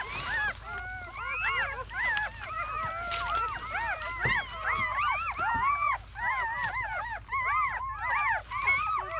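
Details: Seven newborn German Shepherd puppies (4 males, 3 females) in their first hours after birth, May 2017, squeak and whimper together in a continuous chorus of thin, rising-and-falling cries.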